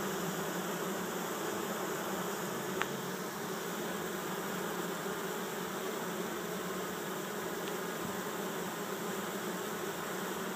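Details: Bees fan their wings with rears raised while a swarm of 6000-8000 moves into an empty hive in a Chico, California yard, 2013. A loud, steady, low-pitched droning buzz continues, with one brief click.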